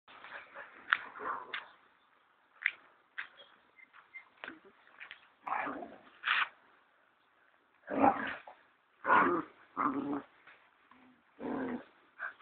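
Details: Two Siberian Husky puppies, about 10 weeks old, playfight at a kennel in Kaitaia, New Zealand, on 1 September 2011 as one usually quiet pup attacks another. Rough growls and short yelping bursts come in irregular clusters, with brief pauses between scuffles.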